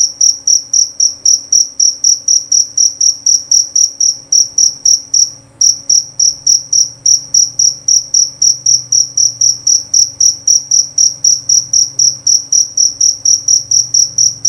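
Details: A long, steady train of loud, high-pitched chirps from a jerabang cricket, about four per second, ringing and clear, with one short break near the middle and a soft low rumble behind.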